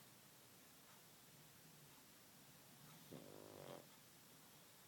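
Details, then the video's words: Ody, a pug, snoring while asleep indoors: one short rasping snore near the end with a buzzy, ribbed texture, then near silence in the quiet room. "Ody sleeping and snoring"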